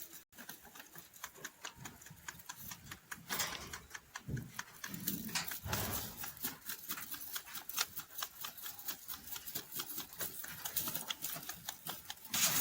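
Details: Farm-raised rabbit eating hay indoors: a rapid, dense run of dry crunching clicks from steady chewing, denser and louder in bursts around the middle and at the end, with a faint low rustle beneath.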